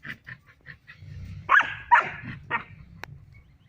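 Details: A three-month-old female German Shepherd puppy plays with a male Barbari goat at a goat farm in Muzaffarpur, Bihar, India. She gives a few rough, harmonic yelping barks amid soft scuffling and a sharp click.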